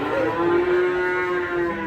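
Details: An angry cow coming down from a truck lets out a long, steady, low moo that briefly rises at the start and then holds an even pitch for nearly two seconds.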